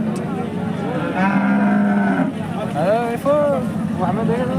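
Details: At an Indian temple cattle market, Hallikar cows give a flat drawn-out moo followed by shorter bending calls, amid men's voices and distant vehicle noise.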